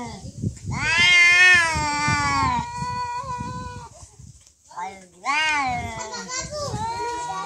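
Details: Domestic cats in a real fight: a long, wavering, high yowl holds for about two seconds, drops away, then a second drawn-out howl rises and bends until the end, over low rumbling and scuffling.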